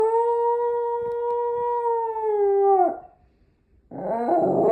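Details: A Miniature Schnauzer gives a long, steady howl, said to sound like "I love you", that drops and breaks off at the end.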